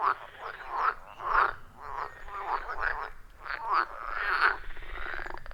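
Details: Wild frogs croaking at a forest pond deep in the woods, iPhone 14 Pro with Shure MV88+ microphone; raspy, rattling calls in clustered bursts, overlapping voices building toward a continuous churring chorus.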